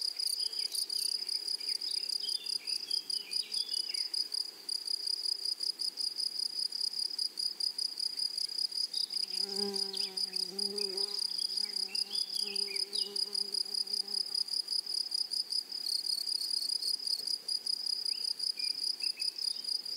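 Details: Grasshoppers in a flowery meadow or prairie keep up a steady, high, shimmering pulsed buzz throughout. Brief whistled bird notes appear early and late, and a lower harmonic, nasal call sounds around the middle.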